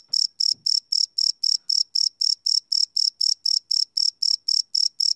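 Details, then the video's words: Cricket chirping at night, recorded live on a Sony PCM D100 field recorder: a steady train of short, high, buzzy pulses about four per second, evenly spaced and strong, with a faint low thump near the start. "Cricket Chirp Sound - Cricket Sounds at Night"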